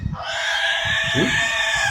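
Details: In Gadag District, Karnataka, a pig screams a loud, harsh, unbroken squeal of distress while being attacked by a Rottweiler.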